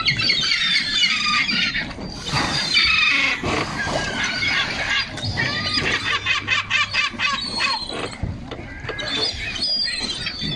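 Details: Sea lions on a beach at Coquimbo, Chile: harsh, broadband squealing and rasping calls come in rapid irregular bursts, several overlapping, against a steady background of surf and wind.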